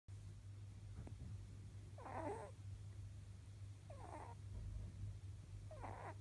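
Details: Pet rabbit, male and almost eleven years old, snoring indoors while taking a short power nap; soft raspy snore bursts roughly every two seconds over a steady low hum.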